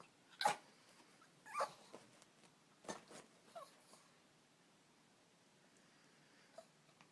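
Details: Excited pet dog indoors giving short sharp snorts and sneezes: four or five abrupt noisy bursts in the first four seconds, then near silence with a faint click.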